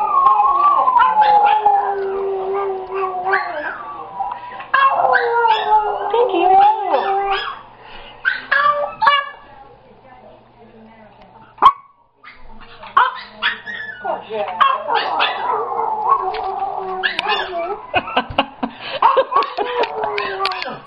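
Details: A dog named Jack howls and cries in reaction to hearing his own crying played back: drawn-out wavering wails sliding up and down, broken by sharp yelps, a quiet pause midway, then more mournful howls; people talk faintly nearby.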